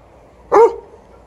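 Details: Alaskan Malamute named Liza, a female pet watching and playing by herself while an elderly 12-year-old Golden Retriever named TJ fetches; a single short, sharp bark with a rough harmonic edge against a quiet background.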